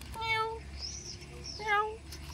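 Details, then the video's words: Hungry cat that nobody has fed gives two clear, harmonic meows, each about half a second long and steady in pitch, separated by a short pause, while a person talks to it softly. "Kucing Ini Ternyata Lapar Tidak Ada Yang Memberinya Makan"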